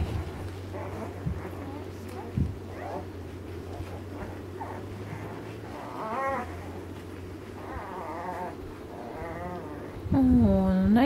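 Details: Ten-day-old Alaskan Malamute puppies from Mystique's 2013 litter, looking for their mother, give thin rising and falling whines, getting louder and higher near the end, over a low steady hum and a woman's soft voice.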